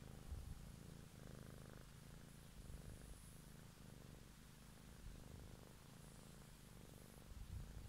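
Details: Cat purring very close in an evening ASMR recording, a dense low rumble pulsing in slow breathing cycles roughly every second and a half, steady and uninterrupted over faint background hiss.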